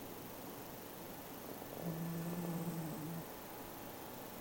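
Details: Single low, buzzy snore from Kin-chan, a domestic cat, lasting over a second in the middle of the clip, set against steady room noise.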